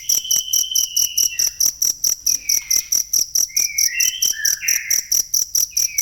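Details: A cricket's sharp, high chirp pulses in a fast, regular beat, offered as masteran audio for songbird training; long, drawn-out whistled bird phrases run underneath throughout.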